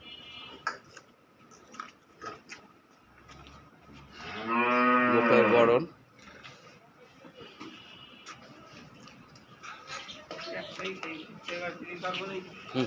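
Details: Cow, a dairy cow for sale in Khulna, Bangladesh, giving one long loud moo of about two seconds, low and wavering, among clicks, rustling and faint voices.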